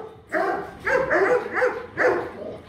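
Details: Fifteen-month-old Rottweiler named Kute Gervi, offspring of Bruno tí hon and Cynia Gervi, barks in four loud, hoarse, harmonic bursts, the middle ones running together, amid a quiet room background.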